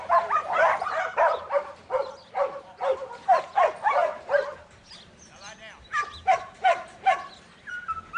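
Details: A young male Border Collie named Buttons, in training, lets out a series of sharp barks, breaks into a brief high, wavering whine, then resumes with several more spaced barks.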